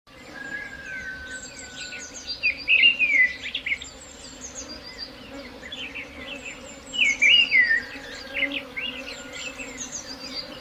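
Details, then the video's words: Honey bee swarm giving a steady low droning hum throughout, while birds chirp and twitter loudly above it in short bursts around three and seven seconds. "Swarm buzzing sound"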